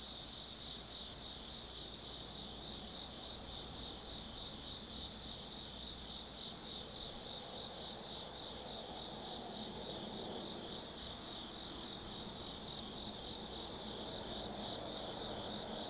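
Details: Forest insects of an autumn night at Tsukimi no Mori, Kaizu, Japan, heard from a viewpoint above the Nobi Plain: a layered, unbroken shrill chorus with pulsing chirps repeating above it and low ambient rumble.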